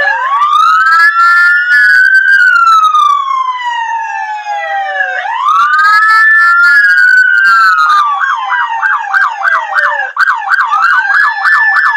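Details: A wailing emergency siren sweeps up and down, then switches to a rapid yelp, with no animal voice heard. No dog joins in at any point.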